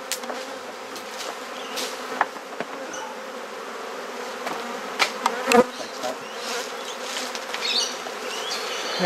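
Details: Softer steady hum of honey bees at an opened garden hive in Perth, Australia while frames are inspected and swapped, punctuated by occasional sharp clicks and taps.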